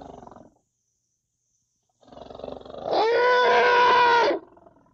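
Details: Young African elephant producing a brief low grumble, then a sudden loud, harmonic, slightly rising squeal held for more than a second before it stops abruptly.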